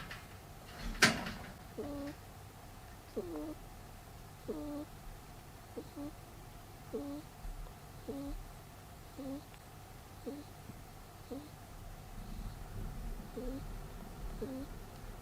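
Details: Peter, a pet rabbit, snores while asleep indoors: a soft thump at the start, then about eleven faint, squeaky nasal breaths. Each is a short rising whine, and they come evenly about every 1.2 seconds over a quiet room hum.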